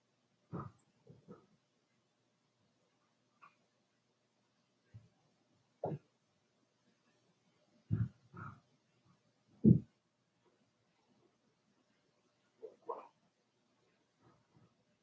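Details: Four-week-old Cavalier King Charles Spaniel puppies from Daisy's litter in their pen, giving scattered low grunts and short muffled whines spaced irregularly between quiet gaps.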